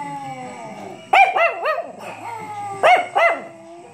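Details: Chihuahua reacting to bells with two bursts of short, sharp rising-and-falling yips, followed by a brief low wail trailing off, with a soft steady high ringing in the background.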